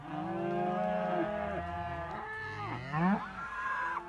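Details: Simmental calves, heifers and young bulls kept together in a group, lowing in long harmonic moos that overlap, one rising then sliding down, another swooping up near the end; several animals calling at once.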